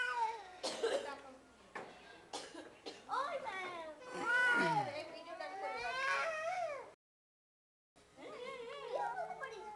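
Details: Two domestic cats meow indoors, drawn-out rising and falling mews repeated several times, overlapping a person talking in Bengali; a brief silent gap near the end before more mewing and speech.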